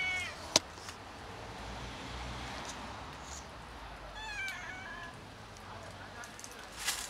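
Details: Street cats, three of them, at a daily outdoor feeding in fall among yellow leaves; a few soft, short meows with rising-falling harmonics near the start and midway, over steady outdoor background noise and a sharp click.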